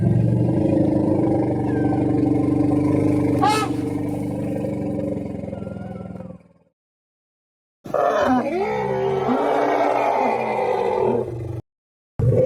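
An Asian elephant gives a low, rough rumble, then breaks into loud, wavering roars that rise and fall in pitch. Broad background noise runs under the first part, with short silent gaps between the sections.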